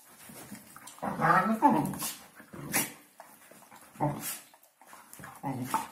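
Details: Hungarian Vizsla's New Year talk, a series of drawn-out whining, moaning sounds with wavering pitch, repeated in short phrases separated by brief pauses in a small room.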